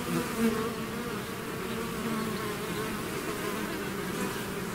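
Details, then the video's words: Constant droning buzz from a bee swarm out of its hive, low humming tones holding steady, one bee passing close near the start. "bees therapy swarm natural buzzing sound"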